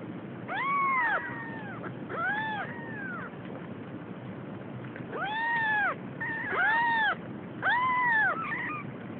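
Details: Female Siamese kitten, nearly three weeks old and starting to explore, scared of its surroundings; arched, bright meows come in small clusters, a pair early, a silent gap, then three more near the end, over steady low hiss.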